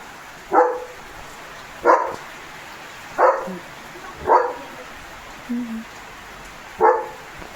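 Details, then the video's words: Morning guard barking from Leo, a village German Shepherd watching over cattle, vehicles and other dogs as distant dogs are heard. Six steady, deep single barks are spaced about one to one and a half seconds apart. "बघा बघा! सकाळी असा गोंधळ घालतो Leo The German Shepherd"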